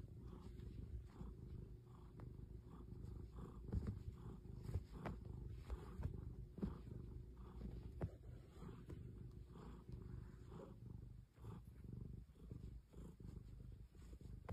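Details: Cat purring softly and continuously, a deep low rumble with gentle rhythmic swells, recorded close and quietly with nothing else audible.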